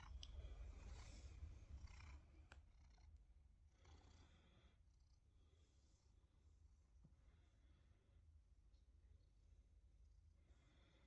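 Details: Male tabby cat purring in reaction to his collected fallen whiskers kept in a glass jar; the purr is louder for the first two seconds, then continues as a softer, steady pulsing rumble with light rustling.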